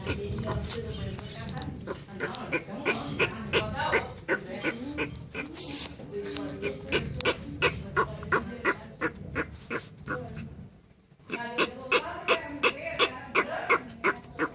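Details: Turtle calling to its mate, a rapid series of short grunting, squeaky pulses repeated about three times a second, pausing briefly before resuming; human voices in the background.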